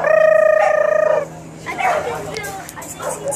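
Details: Puppies from Lucy's litter: one high, wavering whine held for about a second, then quieter scattered vocal sounds and human voices.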